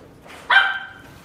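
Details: A female miniature dachshund with a gold coat, born 15 October 2018, gives one sharp, high bark that starts abruptly and fades over about half a second in a quiet room.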